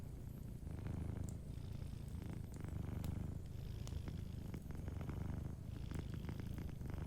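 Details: Soft, unbroken low purr of a sleeping cat near a crackling fire, the rumble swelling slightly after the first second, scattered small pops and snaps over it.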